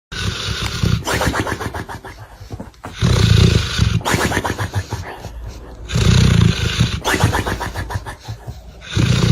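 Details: Sleeping dog snoring indoors: loud, rough, rasping breaths with deep rumbling low tones, each snore lasting about a second and recurring roughly every three seconds, separated by quieter inhalations.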